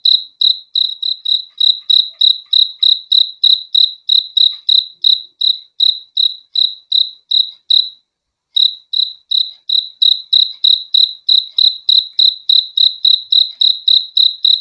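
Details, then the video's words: Crickets calling with rapid, high-pitched chirps about three per second, broken by a brief silent pause near the middle before the steady pulsing resumes; nothing else audible. "BEAUTIFUL SOUND OF CRICKETS"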